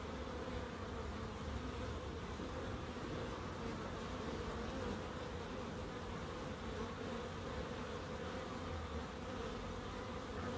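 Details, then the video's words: Bees in a small wildlife garden at an end terrace house in Crookes: a steady, even drone of many wings fills the air, a continuous low hum with a band around the middle and no breaks or other callers. "1hr of Relaxing Bees"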